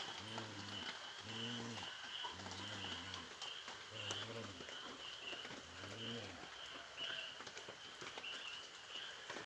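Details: Samoyed grumbling angrily, a deep, low, moaning voice in about five drawn-out bouts, each roughly half a second long, separated by short pauses. A steady high hiss runs underneath throughout.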